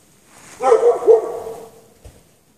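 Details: Dog chained out in the snow for hours at night, 3 March 2014, no shelter; softer, more tonal barks, two or three muffled notes with a whining edge, then a faint thump.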